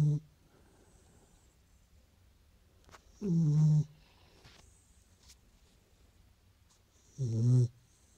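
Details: Sleeping Beagle snoring: deep, rumbling harmonic snores about four seconds apart, each roughly half a second long, with soft faint rustles between them in a quiet indoor space.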